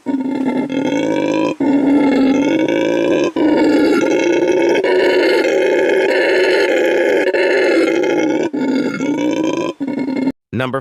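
Howler monkey roaring in long, deep, rasping bursts that swell and hold for several seconds with only brief breaks between them.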